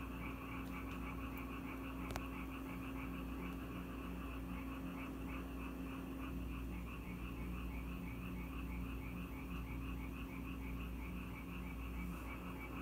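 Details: Frogs in Korea that came to a house when it rained, calling in a dense chorus of rapid, rattling pulsed croaks repeated without pause, over a constant low electrical hum and a faint background hiss.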